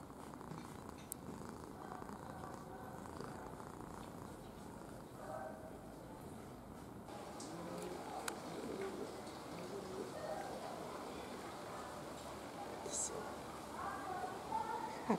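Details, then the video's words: Red domestic cat purring gently, a low fluttering rumble that holds steady throughout, broken by a few sharp clicks and light handling rustles. "Рыжий котик мурчун / Red cat purring"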